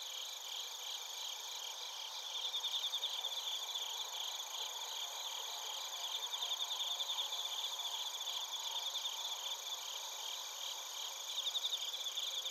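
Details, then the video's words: Night chorus of bell crickets and field crickets from Narita, Chiba, Japan, taken on a TASCAM Portacapture X8. Overlapping high, buzzy trills pulse in short bursts every few seconds above a continuous shrill insect hum, with a softer lower murmur beneath. "スズムシとコオロギの鳴き声 - Chirping of crickets"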